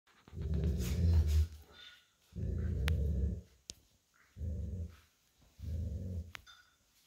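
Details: Lazy old Golden Retriever lying on a cool tile floor after a walk, growling while playing tug-of-war with an American Akita puppy over a plush toy; four low rumbling growls of about a second each, separated by short pauses, with faint clicks.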